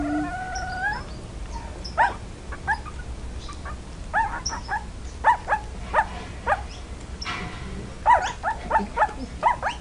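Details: Puppy learning to bark: short, sharp yips and barks come in bursts, a few close together, then pauses, with faint whining between them over a low room hum.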